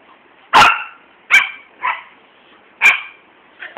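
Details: Morning play between a golden named Max and a foster dog named Keegan, with Libby barking in the house: four sharp, loud barks spaced roughly a second apart, then a fainter yip at the end.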